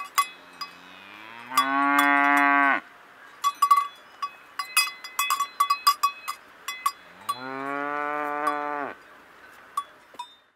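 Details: In the mountains, a cow gives two long, deep moos, rising then flattening, amid the clanking of cowbells.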